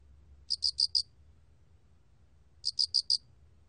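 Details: 알락귀뚜라미 cricket song from a 2020 National Institute of Biological Resources recording: high, clean chirps in tight bursts of four, each burst about half a second long, repeated after roughly two seconds over near silence.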